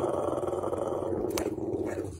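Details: Pet dog growling and grumbling in a low, steady rumble while being scolded, with a brief sharp click midway and a person's voice heard around it.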